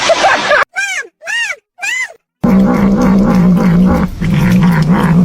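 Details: Domestic cat in a funny-cats compilation gives three short arched meows, each rising then falling, with gaps between. A steady low rumbling drone follows and fills the rest of the clip.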